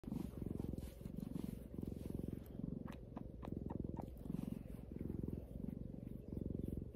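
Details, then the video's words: Pet cat purring close to the microphone, recorded as relaxing ASMR: a low rumbling purr in steady pulses, louder on each breath in and out, with a few faint clicks. "ASMR cat purring"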